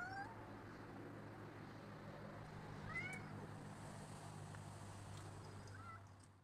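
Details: Rocky the cat, out in a backyard on December 16, 2010, lets out short rising meows at the start, around three seconds and near six seconds, against a constant low rumble of traffic.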